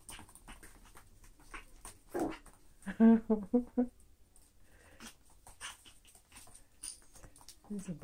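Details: Toy poodles at play with toys in a small room, among them the black female Abbey Ann and chocolate brown Briella: a woman's brief voice, then a burst of four or five rapid, tonal yipping whines, then quieter shuffling.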